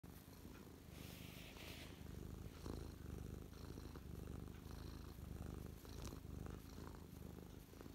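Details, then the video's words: Mia, a domestic cat, settled on a lap and content after a bout of attacking feathers, recorded close up on 12 December 2023: a low, steady, rumbling purr with rhythmic pulses throughout, plus faint soft rustling. "Close up Mia purring"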